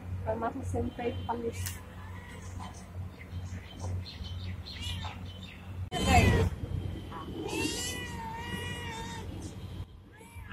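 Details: Indian street cat, pregnant and friendly, meowing near people: human talk and a low hum first, then a sharp burst followed by several drawn-out, wavering meows close together.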